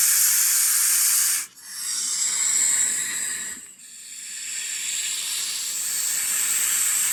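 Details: Snake hissing in long, breathy, high-pitched bursts, a sustained airy hiss interrupted by two brief pauses for breath.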